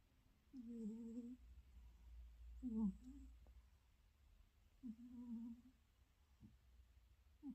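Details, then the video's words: Sleeping cat snoring indoors: low, humming, nasal snores with a tonal buzz, one with each breath about every two seconds, quiet room between the breaths. "KOCA ADAM SENİ HORLAYA HORLAYA UYUYO"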